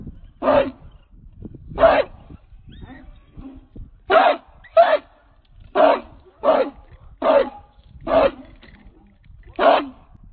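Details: American Pit Bull Terrier of the Redboy and Jocko line, a 66-pound dog on the chain, giving loud single barks at an irregular pace, about two dozen a minute, with low rumbling background noise between them.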